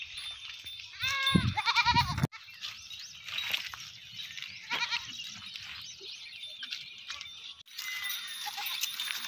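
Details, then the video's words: Sirohi and Barbari goats on a farm give a short, harsh, wavering bleat of about a second, followed by a lower rough burst, then steady background noise with faint scattered sounds and a high constant hum. "barbari sirohi bakri"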